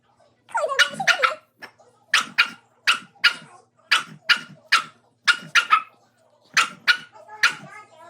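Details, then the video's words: Dog barking at its reflection in the mirror, giving clipped, forceful barks, often in pairs, spaced about half a second to a second apart, opening with a brief high whine. "Dog barking at reflection"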